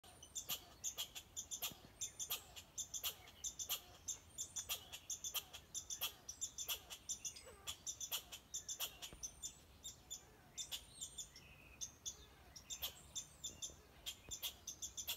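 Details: A red squirrel barks in a steady run of sharp, dry chucks about one and a half per second, with thin high bird whistles drifting over the top.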